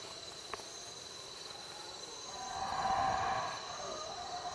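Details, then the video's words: Howler monkeys calling at night over a campsite at Roaring Creek in Belize, somewhat distant: a swelling, roaring howl builds around the middle and fades, over a steady high insect drone of the night forest. "Howler Monkeys at Night"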